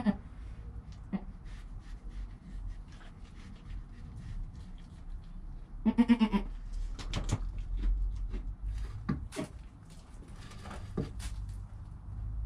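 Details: Newborn goat kid named Joel, within the first hour after birth, beside his calm mother Penny, captured on a GoPro; one short, nasal, harmonic bleat midway, set against rustling, scattered clicks and a steady low rumble.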